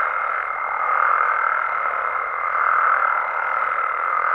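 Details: Nighttime amphibian chorus from Mexico, frogs and toads in the wild: thick overlapping croaking swells gently every second or two, while a pure steady high tone holds on throughout.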